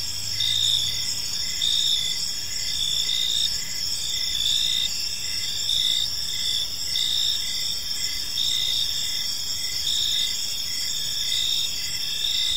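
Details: Evening park ambience of crickets: dense, shrill chirping from several insects, a constant high trill layered with brief repeated pulses about once a second, and faint low rumble underneath.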